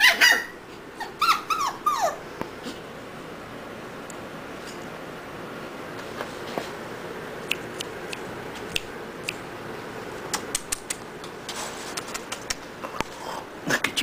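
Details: Several short, high whines from puppies yearning for their mother in the first two seconds, sliding downward in pitch, then a stretch of low hiss broken by scattered sharp clicks and taps.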